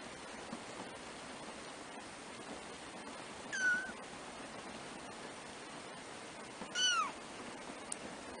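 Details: Three-week-old black kittens, first-born of the cat Trisya, mewing: two high, brief, slightly falling mews about three seconds apart against a constant background hiss.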